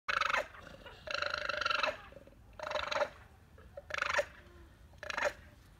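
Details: An alpaca gives harsh, raspy screams in short bursts, an angry sound made while fighting another alpaca; recorded 30 January 2020.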